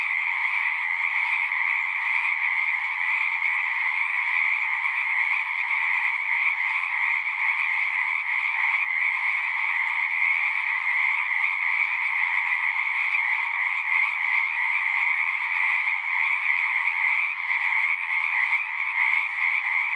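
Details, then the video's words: A large group of frogs singing without pause for twenty seconds, their high rattling croaks blending into an even, dense, two-toned drone. "One hour of singing frogs."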